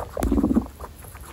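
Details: Pet guinea pig from Butter's family, a household of 27 guinea pigs, giving a brief low pulsed purring rumble lasting about half a second, opened by a sharp click, with faint rustling after.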